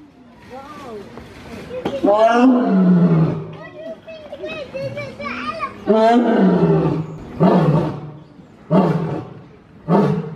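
Lion roars: deep, harsh bursts that drop in pitch, repeated every second or two.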